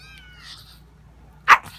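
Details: Gizmo the dog barking to let kittens out: faint high kitten mews drift by first, then one short, sharp, loud bark near the end with a soft echoing tail.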